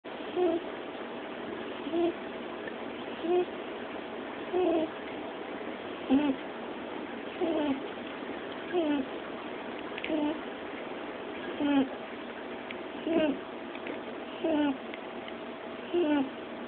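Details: Sleeping rabbit snoring contentedly, soft nasal snorting bursts recurring at a fairly steady pace of about one every one and a half seconds, each short and slightly squeaky, over a constant low hiss.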